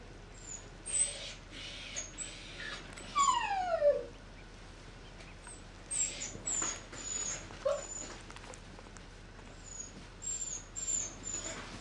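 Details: A puppy whimpers in a falling, drawn-out whine around 3 to 4 seconds. Softer short squeaks and faint high chirps are scattered through the rest, over a low steady background hum.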